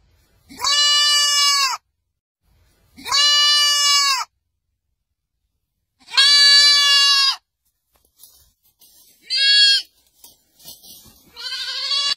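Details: Repeated strident goat bleats from the quiet mountains, three long even calls roughly every two to three seconds, then shorter, rougher bleats toward the end.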